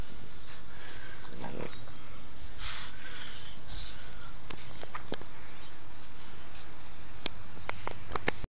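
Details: Sleeping French Bulldog snores with low, rumbling breaths and snuffly, snorting bursts; it later wakes with a fright, possibly from a bad dream.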